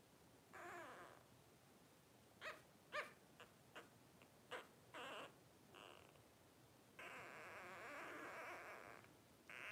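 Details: Five 12-day-old blenheim Cavalier King Charles Spaniel puppies, a first litter born on New Year's 2023, give a string of short high squeaks, then a sustained thin whine lasting about two seconds near the end.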